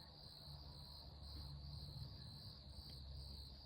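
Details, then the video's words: Night garden crickets in late May keep up a continuous high, piercing trill with gentle pulsing, over a steady low hum in the background. "On entend les criquets."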